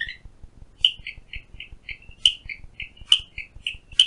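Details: Heard outside a window in Phillipskop Mountain Reserve, Western Cape, South Africa, a Clicking Stream Frog repeats crisp high clicks several times a second, punctuated by louder sharp snaps, over faint low rhythmic ticking.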